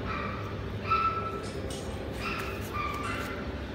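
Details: Papillon dog giving a few short, thin, tonal yips, four brief cries spread over under four seconds, set against a steady low hum and background noise.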